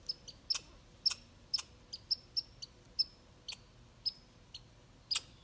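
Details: Red squirrel driving off a grey squirrel, asserting dominance: sharp, high, clicking chirps, each a brief bright burst, repeated roughly every half second with uneven spacing, over a quiet background.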